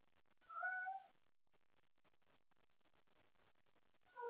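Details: Cat playing late at night with toys and calling for company: one half-second meow, then faint clicking and rustling of play, and the start of another meow at the very end.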